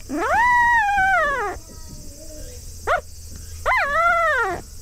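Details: Field-line Labrador Retriever puppy, four days old, calling for its mother with the distinctive voice of a newborn: a long rising-then-falling wail, a brief yelp, then a second drawn-out wavering cry, against a steady background hiss.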